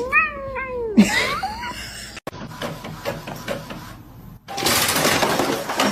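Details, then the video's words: Kitten meowing: a quick pair of high, downward-sliding meows in the first second, then rustling and clattering household noise and a loud burst of hissing noise near the end. "Kitten meowing"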